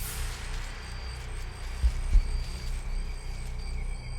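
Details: Deep rumbling drone with soft throbbing beats and faint tonal music, with no animal voices heard.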